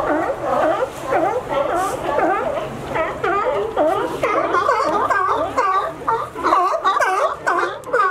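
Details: Sea lions in California climbing a fence to reach a sunny dock where they rest; many overlapping hoarse, wavering barks rise and fall continuously, crowding together with no pause.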